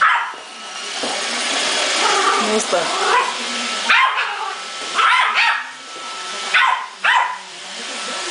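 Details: Male Yorkshire Terrier confronting a robot vacuum at home; whining yelps blend into scattered sharp barks, including a quick pair near the end, over the vacuum's continuous whirring.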